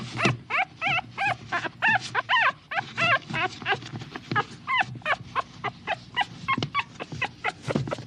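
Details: Small dog giving continuous whimpers: short whiny yelps repeated roughly three times a second, pitch wobbling up and down, growing shorter and softer toward the end.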